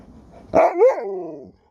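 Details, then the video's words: Alaskan Malamute answering back, one wavering woo-woo vocalization that climbs, bends and slides downward for about a second, with faint room noise before it. "Dog won't let me Finish a Sentence without Talking Back!"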